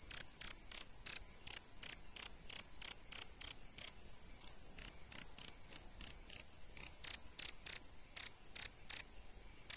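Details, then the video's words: High, ringing cricket chirps from an adult male and female pair, repeated roughly three per second in uneven runs with brief pauses. "Suara JANGKRIK Jantan dan Betina"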